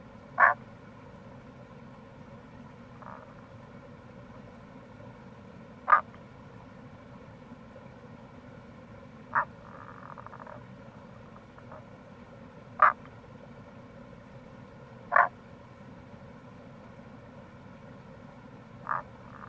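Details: April recording of wild Tago's brown frog (Rana tagoi) by a gorge on the Kamo River, Itoshima, Fukuoka, Japan: about seven brief sharp croaks at irregular intervals of two to four seconds, a few softer notes between, continuous low rushing background.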